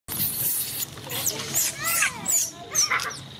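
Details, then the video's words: Baby monkey Coco screaming: loud, high, shrill squeals that sweep up and down in pitch, come in quick uneven bursts, and carry a harsh noisy edge throughout, with no pause in the crying. "Baby Coco is good at screaming"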